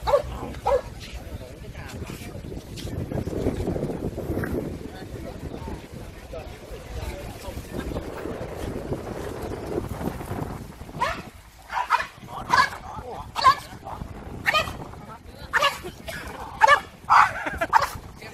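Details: French Bulldogs at an owners' group meetup in Yen So park, Hanoi, Vietnam; Vietnamese chatter fills the first half, then short sharp barks burst out repeatedly and irregularly, several close together near the end.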